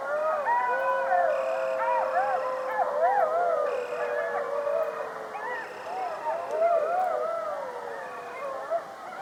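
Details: Coyote pack howling together, many voices overlapping in wavering, rising and falling howls with a long sliding tone beneath, yips and quavering notes layered over a steady high insect drone.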